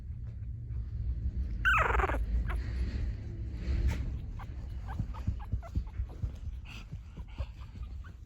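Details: Two-week-old (14-day) pug puppies that have just started walking make quiet whimpers and grunts, with one sharp, downward-sliding squeal; small squeaks and snuffles repeat unevenly over a low, muffled rumble.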